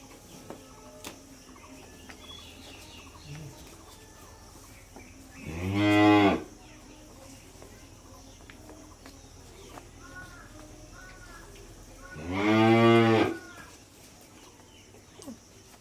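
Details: Cattle at a dairy farm in Bangladesh give two loud, drawn-out moos about six seconds apart, each roughly a second long with rich harmonics; faint background chatter and rustling between calls.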